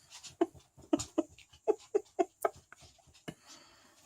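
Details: Chow Chow puppies, 13 days old, from a small kennel in Sweden, sixth litter, indoors: a quick run of short, high squeaks and whimpers, about four per second, uneven, with faint rustling between.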